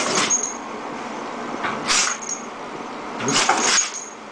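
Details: Jojo, a female dog in a sneezing fit she can't stop, gives three sharp, hissing bursts about 1.5 seconds apart, the last one doubled, over a steady indoor hum.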